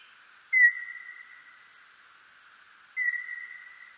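A birdlike noctule gives two long, nearly level whistled tones, each opening with a quick downward sweep.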